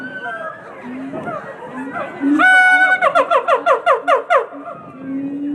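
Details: Howler monkeys at the Omaha Zoo, more active than usual, give a burst of loud, rhythmic barking calls, about eight pulsed roars in quick succession with harmonic stacks, mixed with a zoo crowd's chatter and background music.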